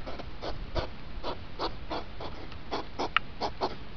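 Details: Accelerated recording of a hedgehog rut, two hours in five minutes: about a dozen breathy snort pulses in four seconds, evenly spaced, with a low hum beneath.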